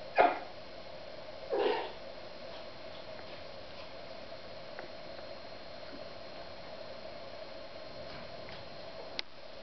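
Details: Young female Yorkshire Terrier puppy playing alone indoors, attacking her toy; two short, sharp yips in the first two seconds, then near quiet with a steady background hum and a faint click near the end.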